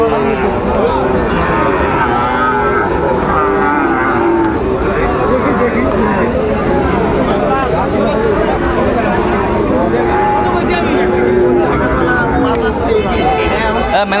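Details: Sahiwal bull calves for sale at the opening of Ambari cattle market in Dinajpur, Bangladesh, on 12 September: overlapping moos from several animals run through the clip over steady crowd chatter and bargaining voices.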